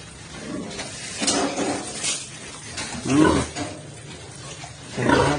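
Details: Landrace sow in standing heat, being mated with a junior Landrace boar; low harsh grunting bursts come roughly every two seconds over a noisy barn background.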